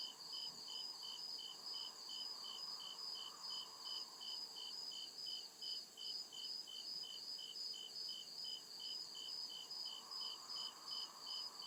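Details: Night chorus of crickets deep in the forest woods, a continuous high, pulsing chirp repeated rapidly and evenly, with overlapping insect voices and a soft lower drone swelling now and then.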